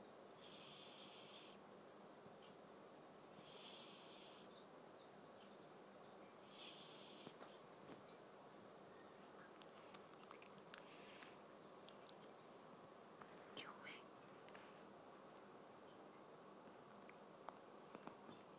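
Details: Domestic cat, the household's eldest male, breathing heavily in its sleep while dreaming; three breathy, hissing bursts come roughly every three seconds, each about a second long, followed by quiet room noise with faint clicks.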